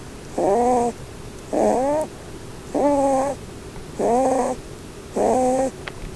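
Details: Sleeping under the Christmas tree, the Holland Lop doe Blueberry snores in a steady rhythm: five strong, squealing, harmonic whines, each close to half a second, evenly spaced about a second apart, in a quiet indoor room.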